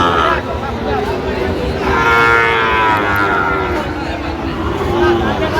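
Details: At a Chittagong cattle market, 13 November 2025, a Sahiwal bull calf lets out a long, wavering low moo that rises slightly then sags, with market hubbub and talking throughout.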